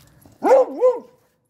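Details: Beagle during daily nose training, barking to signal it has found its dinner placed out of reach; one loud two-part yelping bark, rising then falling and rising again, clean with no other sounds.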